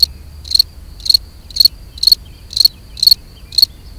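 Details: Mating song of a European field cricket, Gryllus campestris: clear, high, shrill chirps, each a quick triple pulse, spaced roughly every half second over a faint low hum.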